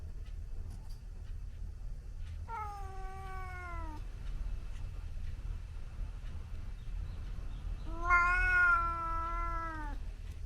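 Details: Scottish Fold cat in a garden fight with a visiting white outdoor cat, recorded at real speed: two drawn-out, harmonic yowls, each about one and a half seconds, both sliding slowly downward, separated by quiet with a low background rumble.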